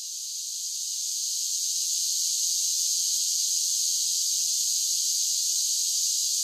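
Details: Summer cicada chorus swelling up over the first two seconds, then settling into a steady, hissing high-pitched buzz that never breaks, with nothing else audible.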